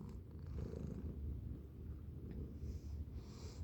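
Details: Low, rapid rumbling purr from a playful house cat, unbroken and even, heard up close indoors.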